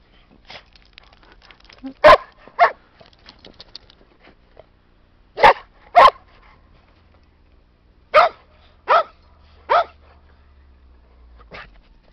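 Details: English Springer Spaniel Sam playing in a snowy park alongside Skippy the Weagle; about nine short, punchy barks, mostly in pairs separated by pauses of a couple of seconds, over a quiet low rumble.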